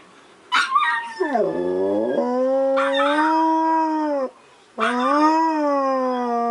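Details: Siberian Husky howling in response to Pomeranian cries, filmed 7 November 2016 in the evening; long sustained harmonic howls, one dipping low then rising and holding steady, a short break, then another level drawn-out howl.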